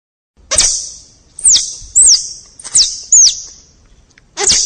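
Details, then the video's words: Squirrel calling with sharp, very high chirps that slide steeply downward, four in quick succession with short pauses, between two broader noisy bursts. "get to know the clever animal squirrel and the sound of the squirrel"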